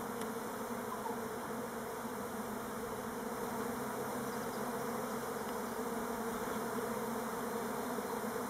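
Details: Many Buckfast honey bees of the Elgon line circle on orientation flights at Timrarö, close to Stockholm. Their collective droning buzz holds unbroken at an even loudness, with faint flickers of individual wingbeats passing through.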